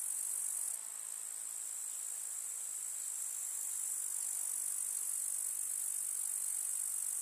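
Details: Summer meadow grasshoppers in the countryside among field flowers, producing a steady, shrill, unbroken buzzing trill that holds constant throughout, with only faint low background hush beneath.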